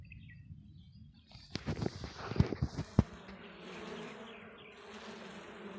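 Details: Desi honey bees on a comb in the Balochistan mountains hum in a low, steady drone, broken by a few sharp knocks and rustles.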